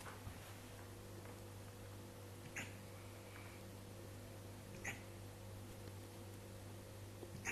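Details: Siberian Husky with hiccups: three short, sharp hiccup blips about every two and a half seconds, quiet and clipped, over a steady low electrical hum.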